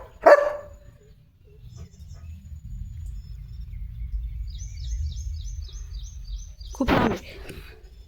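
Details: Leo the German Shepherd outdoors in village countryside in India with his owner; a single short bark opens, then a steady low rumble with a run of small high chirps repeating, and a second strong bark near the end.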